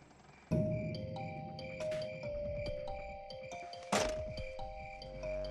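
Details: Music with sustained tones and struck, bell-like notes; no animal sounds.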